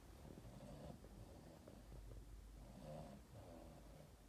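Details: Boston Terrier named Yoda cuddling with its owner at Christmas and snoring: soft, low rumbling breaths with a rougher snore near the start and another swelling near the three-second mark, over steady low indoor hum.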